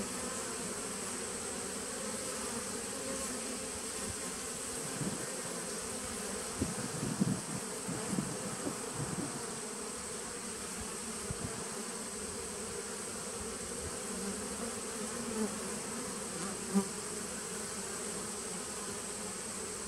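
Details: Nuc colony of bees dating from 2017, heard on 19 September 2018: a continuous low drone with a cluster of soft thumps and knocks around the middle, and a steady thin whine over everything.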